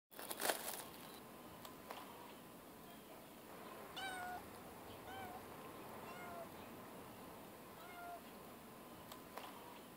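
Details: Pet cat giving a series of soft, quiet meows, about five short mews spaced a second or two apart, each with a slight falling tone, over a faint room hiss with a brief handling noise at the start.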